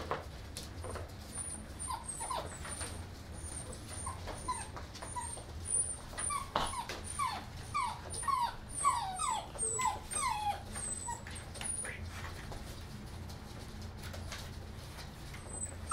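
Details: English Mastiff puppies whimpering: a run of thin, falling, high-pitched whines repeated in quick succession through the middle, over a steady low hum and faint high whistling.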